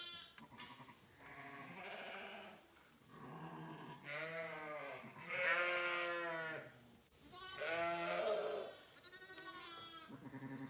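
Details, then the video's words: Several hungry sheep bleating in a barn on a Saskatchewan, Canada sheep ranch during March lambing time: strong, rich, quavering bleats, four or five long calls overlapping and rising and falling at irregular intervals. "hear sheep are very vocal when they're hungry"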